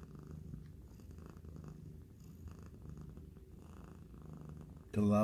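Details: Mother cat, a shelter-rescued cat about two years old, purring with her kitten indoors; a low rhythmic rumble rises and falls with each breath, then a sudden loud clattering noise cuts in at the end.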